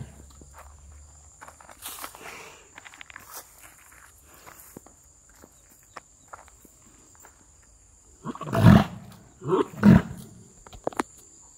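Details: Kangayam bull. After a long quiet stretch with faint shuffling steps and scattered clicks, two loud, low, rough bellowing bursts come close together near the end, each about half a second long, followed by a short snort.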